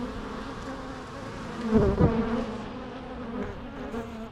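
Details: Short stretch of steady bee humming, low and buzzy, with one bee passing close in the middle to give a brief, louder rising-and-falling whine.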